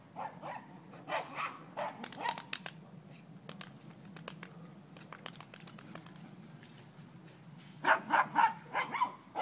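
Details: Two dogs playing, including four-month-old Dobi: scattered short barks and yips early on amid clicking and tapping, then a loud, rapid burst of about six barks near the end.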